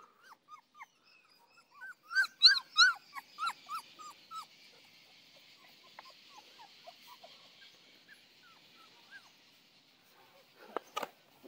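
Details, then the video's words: Saint Bernard puppies at play give a run of short whimpering yelps, rising then falling, bunched around the second to fourth seconds and then fading, with a high hiss after and a few sharp knocks near the end. "Saint Bernard puppies playing"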